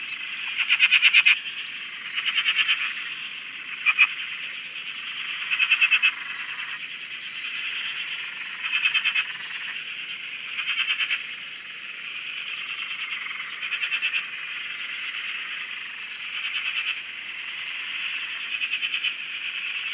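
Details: Frog chorus recorded at a dam beside a shack in Australia: dense, continuous high trilling and croaking, with louder pulsed bursts of rattling calls standing out every few seconds above the steady background of many frogs.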